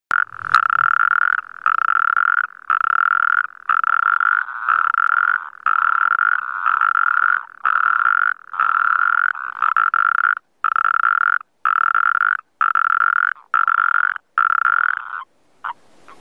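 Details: Natterjack toads calling: loud, rasping rattles in quick succession, each lasting under a second.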